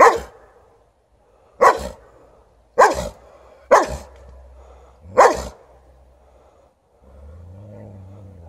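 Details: White Swiss Shepherd barking at an unreacting Alaskan Malamute: five sharp, loud single barks spaced roughly one to one and a half seconds apart, followed by a low whining, moaning sound.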